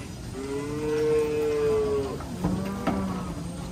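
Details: A frightened, raging cow that fears water gives one long, steady, tonal moo lasting nearly two seconds, then drops to a shorter, lower, grunting moo, over a quiet background hum.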